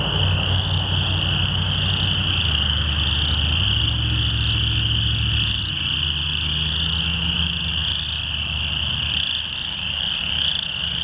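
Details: Chorus frogs crowding a Lethbridge rain pond on June 22, 2013, calling very loudly. A thick, even chorus of high trills continues throughout, over a shifting low hum from a passing vehicle.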